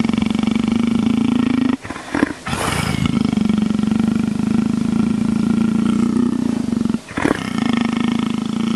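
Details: A leopard being scratched, making a steady, low, rapidly pulsing purr-like rumble held for several seconds, broken by two short pauses with rustling between.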